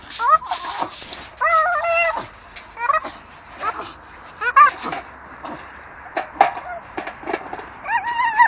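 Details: A pair of Staffordshire terriers chewing a dustbin lid that hangs from a tree. They give scattered high, trembling whines and squeaky yelps at moderate volume, spaced by quieter moments of scuffling.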